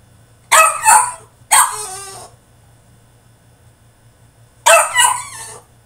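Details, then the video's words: French Bulldog throwing a tantrum in his cage: three bursts of harsh, high-pitched yipping barks, the first two close together, then a pause of two seconds before a final double bark. "FRENCH BULLDOG THROWS TANTRUM IN HIS CAGE!!"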